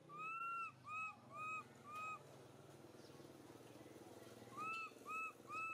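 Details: Baby monkey MoMo trying to call mother Malika in a park, giving a run of four arched tonal coos about half a second apart, a pause, then three more of the same falling-ended calls; steady low background hum.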